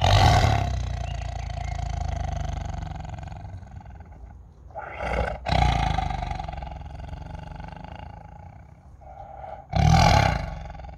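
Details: Captive tiger roaring at feeding time as a keeper offers him another chicken: a loud, low, rumbling roar at the start, a second roar mid-clip and a final burst near the end, with harmonic-rich bellowing between and a person speaking nearby.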